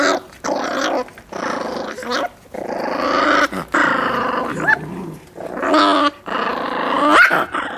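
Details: Miniature Pinscher puppies, eight and six weeks old, growling when given meat; rough, rumbling growls come in bursts of one to two seconds separated by short pauses, with human speech nearby.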